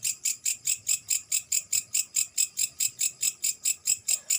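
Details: Grasshopper calling at night, a high, hissing chirp pulsed very regularly about four or five times a second, each burst bright and insect-like, steady throughout with faint low background rustle.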